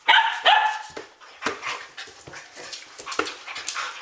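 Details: Standard Poodles in a house at ten past midnight, barking in a burst of sharp, irregular yaps and whimpers, several dogs overlapping while a person scolds them.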